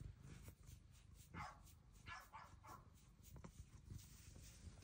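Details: A large female Bengal cat chatting in a tiny voice gives a few short, soft, chirpy meows near her cat cave over a steady, low background hum.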